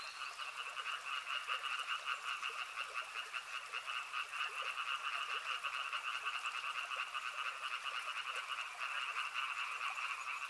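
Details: A steady wall of frog calls beside a river, fast rattling pulses in two bright mid-high bands sustained for the whole stretch, with occasional softer clicks beneath and a faint high tone near the start.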